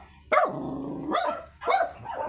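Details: Very small Shih Tzu during a stud session in Pangasinan, giving three short, sharp yapping barks spaced about half a second to a second apart, each a quick rising-then-falling burst, with a low background hum.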